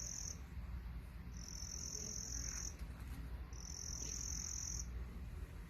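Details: Crickets making noise: high, thin, buzzy trills in three steady bursts of about one to one and a half seconds each, separated by short pauses, over a low continuous rumble.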